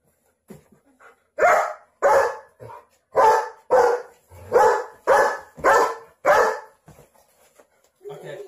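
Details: Dog barking while protecting its owners: a run of eight loud, deep, harsh barks about every 0.6 seconds, with softer short woofs before and after.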